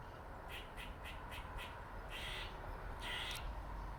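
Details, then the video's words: Dirty Face, a male squirrel with a dark facial mark, gives five quick clicking notes about a quarter second apart, then two longer rasping buzzy notes; low constant background rumble. "Squirrel makes funny noises for 4 minutes"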